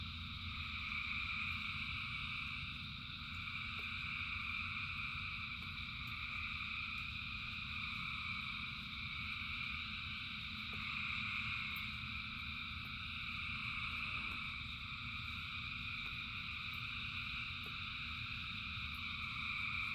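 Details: Thousands of frogs singing in the rain form a dense, unbroken chorus of shrill, layered trilling bands with steady low rumbling rain noise beneath and brief faint ticks.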